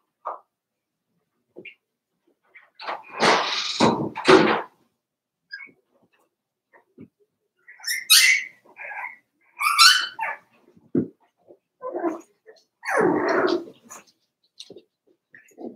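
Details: Four-week-old Cavalier King Charles Spaniel puppies from Daisy's litter in their puppy pen: short high squeals and whines come in scattered bursts among louder broad rustling and shuffling noises.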